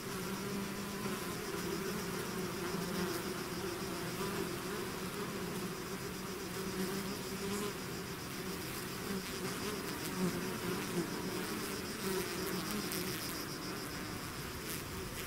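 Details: Many bees swarm out of a hive together, producing a long, steady, even drone of wingbeats with faint shifting hums and no other animals or voices.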